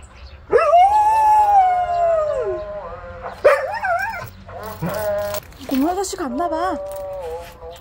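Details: A yellow Korean Jindo dog, apparently reacting to a visiting scrap collector, gives a long, wavering howl that breaks off into cracked, yodeling yelps.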